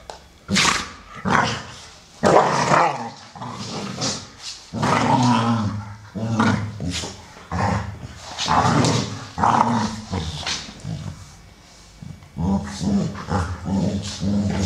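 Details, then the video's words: American Staffordshire Terriers playing together: Solo, brown male aged 12, and Shaya, grey female aged 1 year 8 months. Throaty growls and short barky huffs repeat in dense uneven bursts throughout. "American Staffordshire Terrier (Amstaffs playing)"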